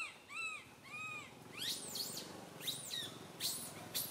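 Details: Young monkey Santo, crying on a branch beside mother Sara; two gently arched, tonal wails open, followed by harsh, piercing high-pitched screams in quick succession.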